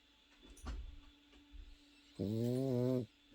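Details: Sleeping Pekingese puppy snoring, shared as a lullaby against insomnia: soft low rumbles followed by one steady, slightly wavering nasal tone lasting under a second, over a faint constant hum.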